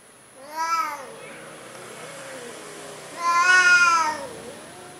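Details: Two meows from a timid orange cat: a short, bright mew at first, then after a quiet pause a louder, drawn-out meow that rises and falls; faint background hum.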